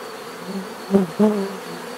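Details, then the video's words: Close bee fly-bys: two loud buzzing passes near one and 1.2 seconds rise sharply over a softer background hum of other bees, then fade back into the steady drone. "bees therapy relaxing natural buzzing sound"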